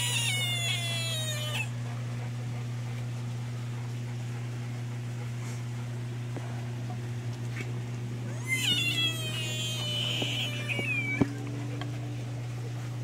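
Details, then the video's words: American bullfrogs screaming: two loud, harsh, cat-like wailing cries rich in harmonics, the first lasting under two seconds, the second a few seconds later and longer with a wavering pitch, over a steady low electrical hum. "Screaming bullfrogs"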